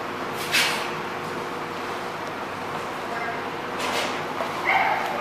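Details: A dog named Fonzie at The Barking Lot, two sharp barks about three seconds apart over steady background hiss, with a person then telling him to stop.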